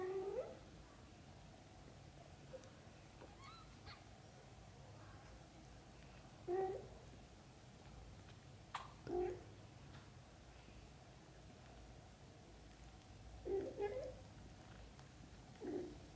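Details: Sparse short meows from kittens urging their mother cat to come and play outside after waking, single calls separated by long pauses, then a quick pair near fourteen seconds and one more at the end, over steady low background noise.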